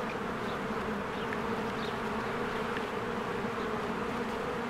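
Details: Spring beehive with swarms of honeybees coming and going: a thick, unbroken hum of many wings, low droning bands steady throughout, with a few brief high bird chirps scattered over it.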